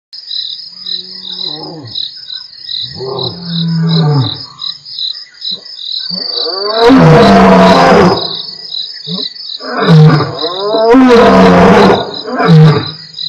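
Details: Two lions of the Mapogo Coalition roaring at Nkorho, recorded 12/11/07 on Africam's live stream: a run of short low grunts building into loud deep roars, then a sequence of powerful bursts, over a steady chorus of insects.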